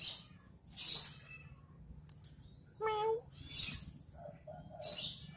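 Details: Domestic cat playing with a stick utters one clear, level meow lasting under half a second, framed by hissy scraping bursts and a low background hum.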